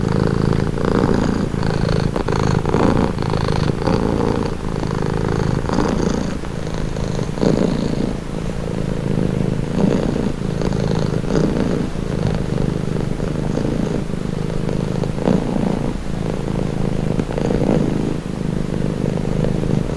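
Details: Pet cat purring without pause for a long stretch, a deep vibrating rumble with a breathing rhythm of swells roughly every second or two, intimate and close, nothing else audible.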